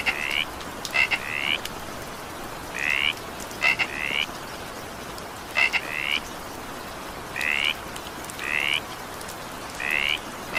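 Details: Frog croaking through evening rain, giving paired short rising buzzes and clicky notes in small bursts every one to two seconds against a continuous rain wash.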